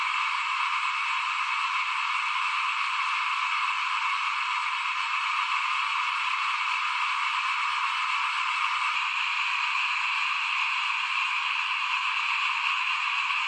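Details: Many small frogs calling together in front of a house while rice is sown ahead of planting, 2021. A long, uniform, high trilling chorus holds steady from start to finish, with no distinct pauses.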